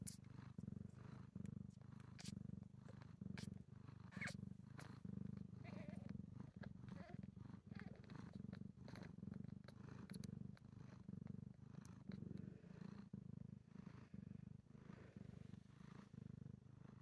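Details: Domestic cat Enza with her six newborn kittens, a few hours old, born under a bed in Markdale, Ontario: steady low purring in rhythmic pulses with breathing gaps, a few faint clicks and small rustles.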